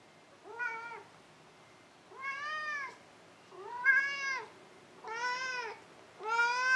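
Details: Maru the cat meowing indoors: five harmonic-rich meows, each rising then falling, spaced about every one and a half seconds, in an otherwise quiet room.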